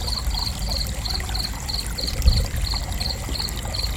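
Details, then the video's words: Cricket chirping in a steady, even series of short high pulses, about three per second, over a constant low rumbling background with a brief thump midway. "Gentle Cricket Chirping"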